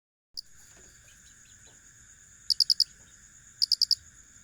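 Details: Cricket chirping: two bursts of four quick, high, sharp pulses about a second apart, over a steady high-pitched hum of other insects and a lower continuous drone.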